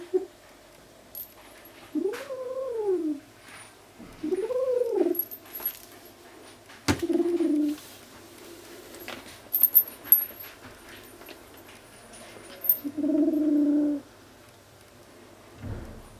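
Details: Furry kitten keeping hold of a toy and answering threats with owl-like sounds: several low, hooting wails that swoop up and fall, then a steady moaning tone, separated by quiet gaps and a sharp knock.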